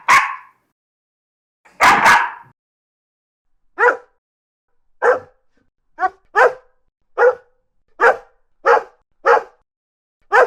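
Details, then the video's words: Barking dog from a mixed-breed compilation, large and small dogs: a heavy double bark opens, followed by a quickening run of about ten short, clipped barks, some paired, with silent gaps between. "51 Cachorros Latindo - Som de Latido de Cachorros Variados"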